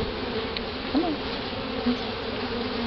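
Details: Bees in a newly hived colony from a bee removal in Houston, Texas, October 2011, as the queen is let out of her cage: a dense, steady low hum fills the air, with two brief louder swells.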